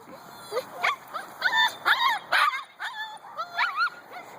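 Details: Two-month-old Husky puppies calling on waking in the morning: a busy string of high, wavering whines and short yips, roughly two per second, some notes bending up and down.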